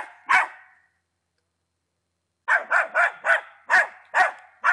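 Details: Ten-month-old Patterdale Terrier named Attila lets out one sharp bark, falls silent for nearly two seconds, then fires off a quick string of harsh barks.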